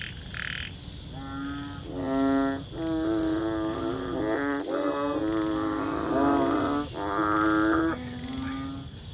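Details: Banded bullfrog calling: deep, nasal, droning moans with rich stacked overtones, each lasting one to two seconds, following almost continuously with overlapping voices from about one second to eight and a half seconds, after a short higher note at the start.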